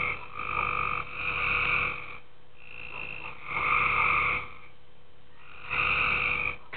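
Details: Several long grating croaks from tree frogs in a pool after dark, each burst roughly one to two seconds with uneven quiet spaces between, a faint steady electrical hum running throughout.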